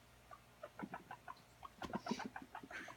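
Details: Guinea pig at playtime, running around, giving a rapid series of short soft clucking chirps, some doubled, with brief pauses and a louder burst near the middle.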